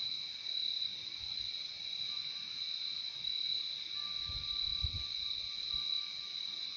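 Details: Continuous high-pitched cricket chorus in a peaceful nature ambience, a dense pulsing shimmer that never breaks, with a faint level tone joining partway through and a few low muffled bumps near the end.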